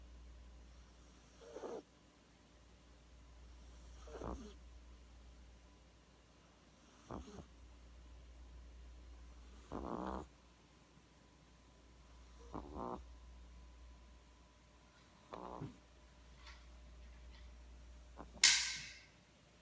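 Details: Sleeping 12-week-old French Bulldog puppy snoring, rough raspy breaths returning about every two to three seconds in a quiet room, with a sharp louder rustle near the end.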